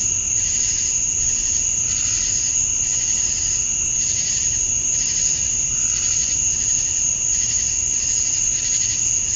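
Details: Summer-night cicada chorus at dusk in Georgia, USA, males calling to attract females. A continuous shrill high tone runs throughout while lower buzzy pulses rise and fall in slow, regular waves about every two seconds.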